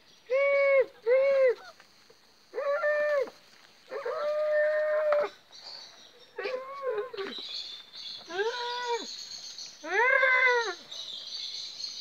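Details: Presa Canario puppies from a litter of Kia and Lucho, with Melvin, recorded 4 July 2019: a series of high, arched, harmonic whining cries, some short and paired, one drawn out, rising and falling in pitch, with faint hiss behind.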